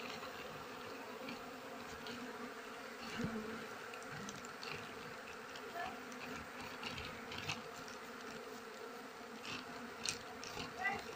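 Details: Honey bee colony humming while its nest is harvested by beekeepers when trees are in bloom, an even, quiet drone with overtones and scattered faint clicks.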